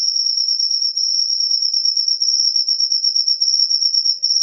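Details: After rain, a cricket keeps up one continuous piercing high-pitched trill, evenly rapid and unbroken across the short recording, nothing else audible.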